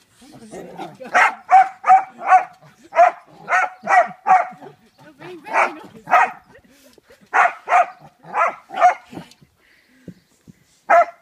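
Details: A Kerry Blue Terrier called Peggy playing on a trampoline barks steadily, short harsh barks in groups of three to five with brief gaps, about fifteen in all, faint human voice underneath.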